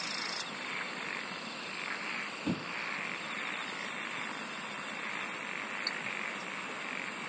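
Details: Singing insects in a dense natural chorus: steady high whining tones run throughout, a rapid ticking train appears midway, and a softer pulsing murmur sits below. A brief thump sounds early on.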